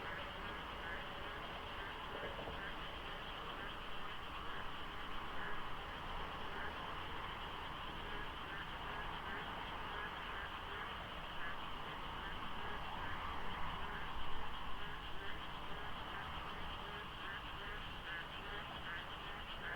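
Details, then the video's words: Massed frogs at Deokso IC on the expressway, pre-dawn in the rainy season with light fog: countless overlapping rapid quacking pulses, roughly two per second, form an unbroken wall of croaking, with a distant low road hum beneath. "장마 중인 새벽 고속도로 덕소IC에 어둠을 가득 채운 개구리 소리"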